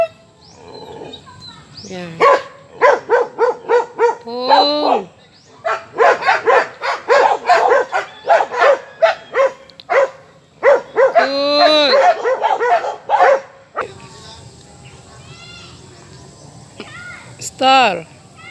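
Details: Aspin dog barking in rapid bursts of sharp, harmonic barks, broken by several drawn-out whining yelps that rise and fall; after a cut near fourteen seconds, a few more isolated barks and a final yelp.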